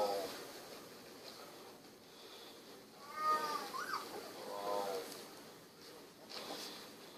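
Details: Sixteen-day-old Golden Retriever puppies, eyes recently opened, wiggling and snuggling: a short burst of thin, high whining squeaks with rising-and-falling pitch in the middle, then a brief softer whimper, over steady background hiss and faint rustling.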